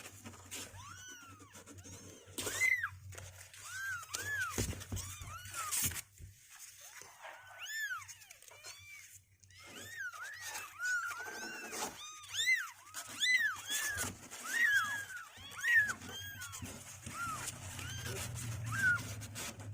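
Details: At two weeks old, kittens that no longer want to stay in the box keep up a chorus of rising-and-falling meows, denser and louder in the second half, mixed with scratching and bumping sounds.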